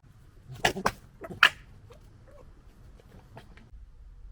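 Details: Urban European red fox family in the UK, fighting and disagreeing: a few harsh, broadband rasping bursts in the first second and a half, then quieter scattered chatter over a low background hum.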